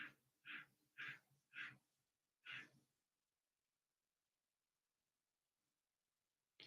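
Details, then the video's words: Tree frog calling in a garage, a short run of raspy, hoarse croaks about two per second, then falling quiet. "i hear that tree frog"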